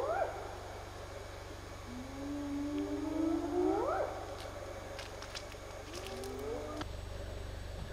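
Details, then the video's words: Spotted hyena calling at night in Zimbabwe in June, near a hippo conservation project: low, drawn-out whoops sliding upward and ending high, repeated, over a steady low hum and faint clicks. "Hyena calls"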